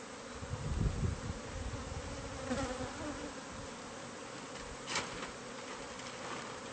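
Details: A bee colony nesting inside a home's walls, unknown to the new owner, hums steadily during removal. The drone is even and continuous, with muffled thumps early on and a brief clatter near the end.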